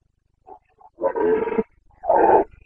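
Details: Carpathian red deer stag roaring during the breeding season rut in Bucovina, Romania, 29 September 2022: two loud, hoarse bellows with rich low harmonics. The first lasts about half a second, the second is slightly shorter, preceded by faint soft grunts.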